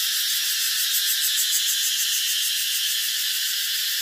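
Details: A steady cicada drone, shrill and hissing, with a rapid rhythmic throb running through the high buzz and no other clear sounds.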